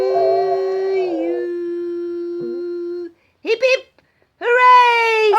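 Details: On its third birthday, a dog "sings" along with people singing happy birthday, howling in long, steady, tuneful notes, then giving short rising yowls amid voices.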